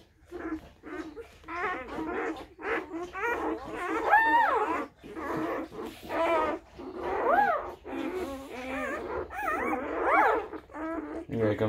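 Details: A newborn Tibetan Mastiff litter, a few hours old, four males and two females; overlapping high, squeaky whimpers and rising-falling squeals from several puppies, in rapid bursts every second or so, with brief pauses.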